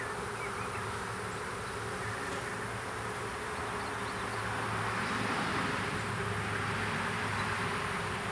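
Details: Western honey bee swarm, small, being hived in a privet hedge thicket, south Alabama, April 2014: steady droning hum of many bees, slightly louder toward the end, with faint bird chirps behind.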